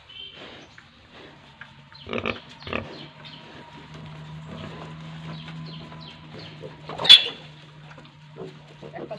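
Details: Pigs and piglets at a pig farm in Tripura, giving low grunts under a steady hum, with one sharp high squeal near the end and rustling movement throughout.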